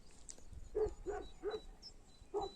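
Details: Shepherd dogs at old stone houses in rural Türkiye, barking from a distance at a person they took for a stranger; four short, faint barks, three close together then one more after a pause, with outdoor background noise.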